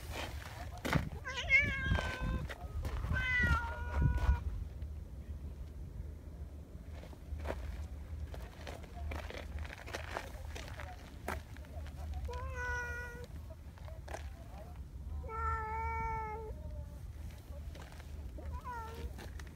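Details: Affectionate boss community cat Donchan, a large black cat in Japan, meows repeatedly while being petted: two clustered meows early, then three longer, level meows later, with brief human voice and rustling in the background.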